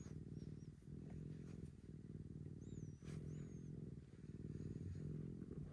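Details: Maroshiro is an affectionate rescued house cat, once again as clingy as when first rescued, in an upstairs room set aside for pampering. A loud, rhythmic rumbling purr pauses briefly for breath roughly each second, with thin high whistly squeaks near the third second.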